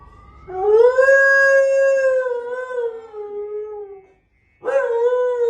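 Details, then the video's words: A pet dog named Benji howls at home after a car alarm sounds outside, seeming to imitate the siren: a long, steady, tonal howl lasting about three and a half seconds, a short pause, then a fresh howl beginning. "Baby, the car alarm is going off"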